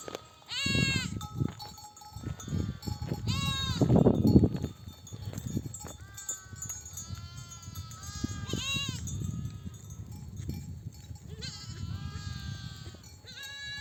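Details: Mother sheep bleating to feed lambs as a nomadic flock comes back from pasture; scattered high and lower bleats from many animals, partly masked by heavy low rumbling and trampling of the moving flock.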